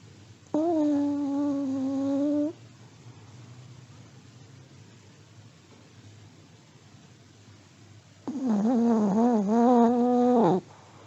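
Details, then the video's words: Elderly Pomeranian dog sleeping and snoring, giving a steady humming whistle-like snore of about two seconds, then after a quiet pause a longer, more wobbling, nasal snore; only low background hiss otherwise. "(sleeping dog snoring) 睡眠用おじじポメのイビキ"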